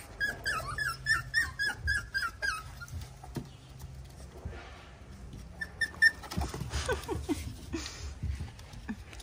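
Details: Five curious puppies going after a cat give high, strained whimpering yelps in a quick run of about four per second for two and a half seconds. After a pause, more squeaks come with rustling and thumps of play.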